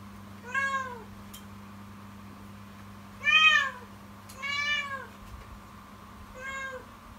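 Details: Kitten named Yukimi crying loudly and persistently indoors in the morning, an alarming, fearful-sounding voice: four harmonic meows, each arching up then falling, spaced one to two seconds apart over a steady low hum.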